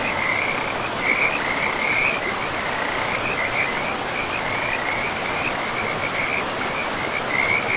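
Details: Frogs calling beside a river in a pristine, moss-covered forest: a continuous band of mid-high trilled croaks that rise and fall in short pulses, laid over a steady rushing hiss of flowing water.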